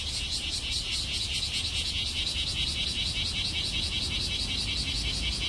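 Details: In Nagai Park on a humid, cloudy day with some sun, cicadas that have just begun singing fill the air with a dense, high, pulsing buzz over a low background rumble.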